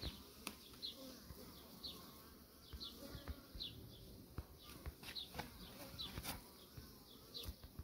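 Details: Honey bees from a beekeeper's colony, dense humming with frequent sharp buzzy passes of bees close by and occasional clicks and knocks.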